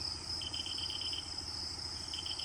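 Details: Crickets calling at Netarhat, Jharkhand, beside Sunrise Park on an overcast day, the same call known from North Bengal: a steady high shrill trill with a second pulsing chirp train repeating rapidly, over low rumbling background noise.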